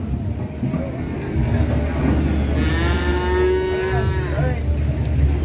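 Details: A fat cow, raging while loaded onto a truck, lets out one long, loud, sustained moo lasting nearly two seconds, rich and steady, above a low rumbling truck engine.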